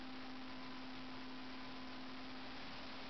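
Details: A steady electrical hum with a constant low tone over broadband background noise, with no animal sounds.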